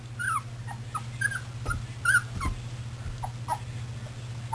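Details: Several puppies milling about, recorded 24 February 2010: short high whimpers and squeaky yips every half second or so, some sliding downward, over a steady low electrical hum.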